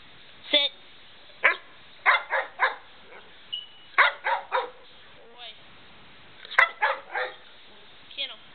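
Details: Dog at home giving short barks and yips in irregular bursts. A man keeps urging it to get the door, calling it good boy and telling it to come and sit.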